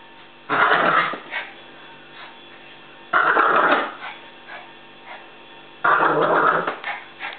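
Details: Female pet Pomeranian growling aggressively while playing tug with a rope she loves; three loud, rough growling bursts, each lasting about a second, come roughly every two and a half seconds, with quieter rumbles in between.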